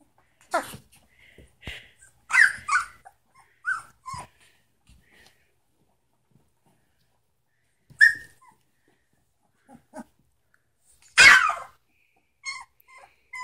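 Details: Samoyed puppies, three weeks old, from the Sitka and Izzi litter, give scattered brief yelps and thin whimpers separated by quiet pauses, with one louder sharp squeal near the end.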